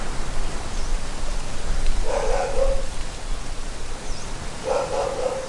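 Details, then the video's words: Dogs barking on Pattaya Beach amid waves, wind and trees: two short bursts of barking, around two and five seconds in, over a steady low roar of surf and wind. "Pattaya Beach Waves Wind Trees Dogs"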